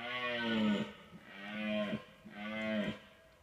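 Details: A red deer stag during the rut bellows three deep, groaning roars in a row to warn away rival stags, with hinds nearby.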